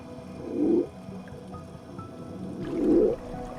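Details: A male Hawaiian monk seal floating in midwater off a remote Hawaiian island's volcanic drop-off, heard from a distance, gives low, rumbling underwater moans, two short bursts about two seconds apart; the call is thought to be a mating call.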